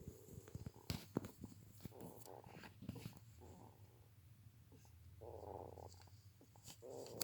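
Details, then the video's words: Snoring hedgehog, with short wheezy rasps repeated irregularly, several longer buzzy breaths in the second half, scattered sharp clicks, and a low background hum in a small room. "Ежик храпит"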